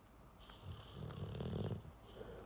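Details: Rottweiler snoring: a single drawn-out, low, rough snore swelling over about a second and a half, then fading into quiet breathing.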